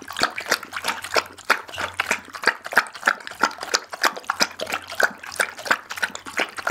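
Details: Daggy the pit bull works through a whole raw chicken, recorded with an Insta360 ONE R: steady wet, crunchy bites about once a second, smacking and squelching between them, a low hum underneath.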